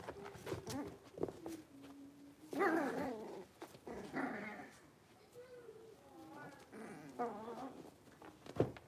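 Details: Five blenheim Cavalier King Charles Spaniel puppies, littermates born at New Year's, settling into their larger indoor pen; they give drawn-out wavering whines and squeaky cries, with a brief louder squeal burst and low grumbling in between.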